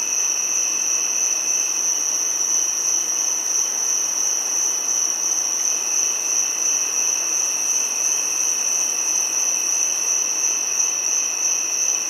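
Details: Giant cicada calling in a steady, unbroken high-pitched whine with a fainter lower tone beneath it, holding constant loudness throughout with no pauses and no other sounds.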